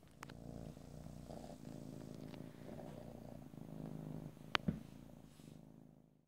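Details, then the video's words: Domestic cat purring steadily close to the microphone, recorded in stereo from ear to ear with no talking; a low, continuous rumbling throb with a brief click near the end. "ASMR Cat: Purring"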